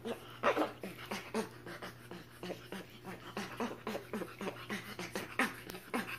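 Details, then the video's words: Spider monkey giving a series of short, squeaky pulsed calls, each rising and falling quickly and repeated roughly every half second, with some louder bursts, over a steady low electrical hum. "Spider monkey sound"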